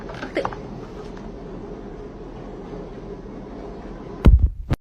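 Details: A steady low hum with a brief rustle at the start and a few sharp knocks near the end; no animal sound is heard.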